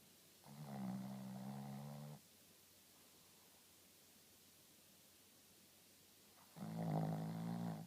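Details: Sleeping Shih Tzu Rintaro gives two low, droning snores, each lasting almost two seconds and separated by a long silent pause of about four seconds.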